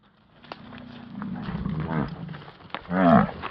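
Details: An American bison bull bellows during the rut in Yellowstone, a deep rumbling roar that swells and then drops. Bison voices reach as low as about 27.5 Hz.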